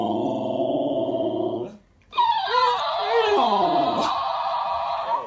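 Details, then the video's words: Female Alaskan Malamute arguing indoors with a talking toy hamster: a low, harmonic, wavering howl-grumble lasting almost two seconds, a brief pause, then the toy's shrill high-pitched replay of her voice with sliding squeaks. "Alaskan Malamute has full-blown discussion with talking toy hamster"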